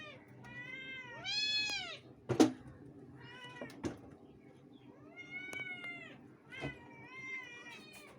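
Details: Two domestic cats meowing loudly; a series of drawn-out, arching meows with rich harmonics, several overlapping or in quick succession, broken by a couple of sharp knocks and low background rumble.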